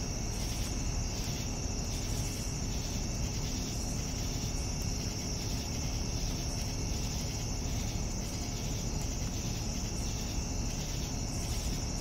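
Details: Evening crickets: a steady high-pitched trill joined by evenly spaced bursts of chirping, repeating about every second for the whole stretch, with a low rumbling noise underneath.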